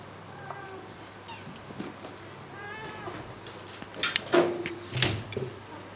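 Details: Kitten leaping and bounding, giving a few short, thin harmonic mews in the first half, followed by loud thumps and knocks from its jumping around a room.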